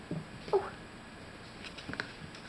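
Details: Kitten, one of a group of snow-white and brown kittens kept indoors, gives a single short, soft mew with a faint overtone early on. Light rustling and small taps from the kittens moving about follow.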